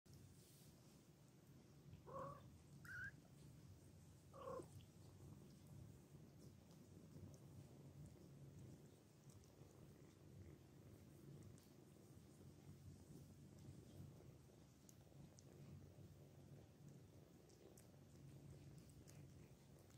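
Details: Domestic cat nursing her kittens, purring as a steady low rumble throughout, with a few short higher mews or squeaks near the start from the kittens.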